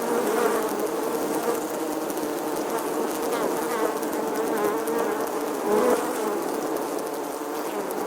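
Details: A crowd of bees at an apiary fills the air with a continuous low buzzing, many wingbeats blending into one steady droning hum that barely changes in pitch and swells slightly as individuals pass close.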